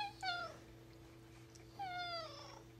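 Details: Alfie, a tuxedo cat, talking to his owner about his day: two drawn-out meows about a second and a half apart, each starting high and sliding downward with rich harmonics, over a low steady electrical hum.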